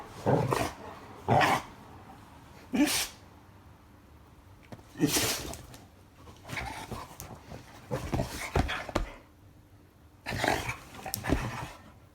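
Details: Black Labrador Retriever playing with an elderly dog six years older. Short, harsh broadband barks and growly bursts, about seven over twelve seconds, at irregular intervals with quiet gaps between.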